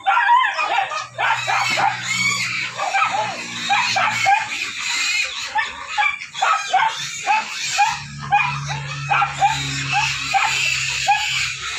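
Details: Hungry pigs squealing for food at feeding time: a dense, overlapping chorus of loud, high, wavering squeals and screams that continue almost without a break, with a steady low hum underneath.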